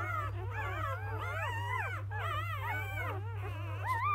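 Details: A litter of newly born field-type Labrador Retriever puppies whose mother is biscuit, 2017 JFA Grand Champion, after a morning feed: dense, continuous rising-and-falling squeals and whines from several pups, with a constant low electrical hum.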